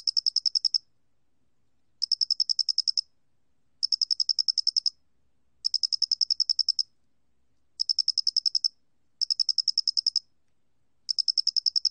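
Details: Chirping song of the square-headed cricket from a 2020 National Institute of Biological Resources recording: bright, high pulse trains of evenly spaced ticks, each lasting under a second, returning every second or so against complete silence.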